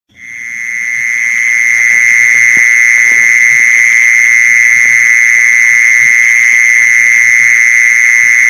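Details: Mole cricket call used to lure mole crickets: one steady, loud, unbroken high-pitched trill that swells in over the first second and then holds even throughout, with faint low ticking underneath.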